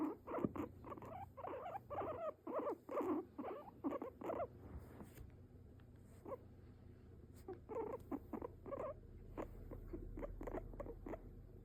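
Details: Guinea pig kept as a pet, perched on its owner's lap, uttering clipped squeaking chirps in a fast run, a quieter pause with rustling, then more scattered squeaks.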